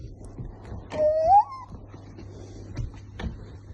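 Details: A 3-month-old female golden retriever puppy, vocal when her owner makes funny noises, gives a single high whine that slides upward and ends in a brief wavering note.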